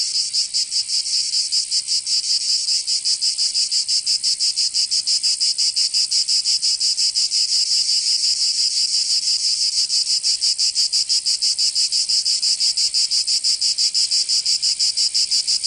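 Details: Cicadas of Provence, southern France, in summer: an unbroken, intense high buzzing drone beating in fast regular pulses about three per second, sustained evenly across the whole stretch.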